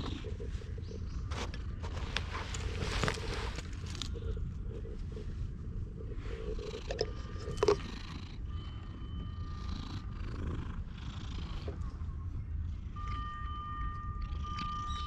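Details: Stray cat climbs onto a lap on a park bench and is petted, GoPro recording: continuous deep purring rumble, with scattered rustles and clicks and a faint steady electronic tone in the background.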